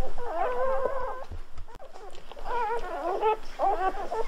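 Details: Golden Retriever puppies at birth give high wavering squeals in quick clusters, a short lull in the middle, then more overlapping wobbling cries.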